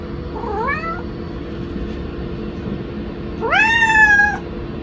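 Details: Pet kitten meowing after its owner left for the restroom: a short faint rising meow, then after a pause a louder, longer drawn-out meow holding a level pitch before dropping off, over a constant low room hum.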